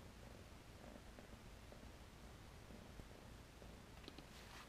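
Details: Quiet purr from April 2015 Tennessee Rex kittens, long-haired with satin rexed coats, a faint low pulsing rumble under a hissy background, with a few small clicks near the end.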